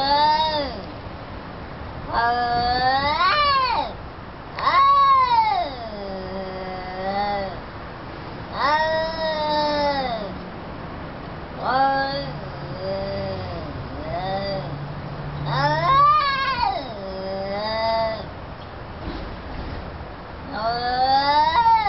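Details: Orange cat and black cat fighting: long drawn-out yowls rising and falling in pitch, wailing and moaning, repeated every few seconds with low growls between them.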